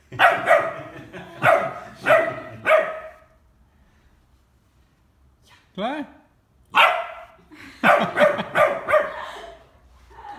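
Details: Ten-week-old Bernese Mountain Dog puppy checking out a ten-month-old baby at their first meeting: a quick run of five sharp barks, a quiet pause, a brief rising squeal, then another burst of loud barks.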